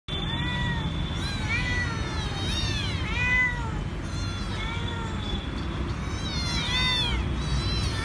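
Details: Little stray cats near a coffee shop in Pune, several high thin meows rising then falling, repeated every second or so, over a steady low rumble of urban background noise.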